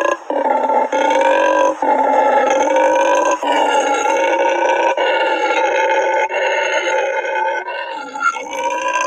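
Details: Howler monkeys at a rescued-wildlife sanctuary, where wild groups start howling around 4:30–5 am, give a long, booming, raspy overlapping roar in a throbbing chorus with brief breaks, announcing their territory and warning other groups away.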